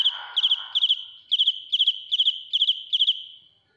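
A cricket sings shrill, pure-toned chirps of three or four quick pulses, repeated about twice a second.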